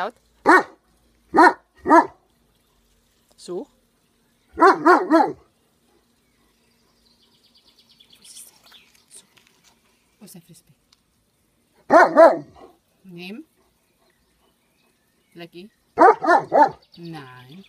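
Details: German Shepherd dog barking in the rain while digging, urged with the German command "Gib laut". Loud, deep barks come in quick bursts of two to four, separated by pauses, with some quiet human speech between the bursts.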